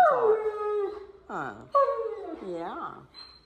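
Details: Alaskan Malamute at the vet's office, chatting with everyone there: drawn-out, strongly harmonic howling talk, a long falling note, then wavering, rising-and-falling vocal phrases across three seconds, with people nearby.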